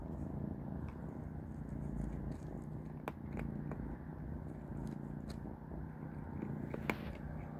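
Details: Kittens Panda, Grayie and Goldie at dinner, eating cat beans; continuous deep purring hum fills the recording, broken by sharp chewing and crunching clicks around the third second and near the end.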